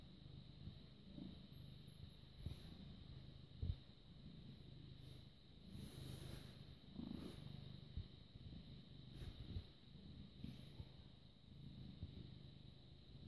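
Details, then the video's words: Quiet, continuous low purring from a British Shorthair cat, born 18 August 2010 and recorded on 6 May 2017 at 21:55, a faint rumbling hum under light background hiss with occasional small knocks. "British Shorthair Cat purring"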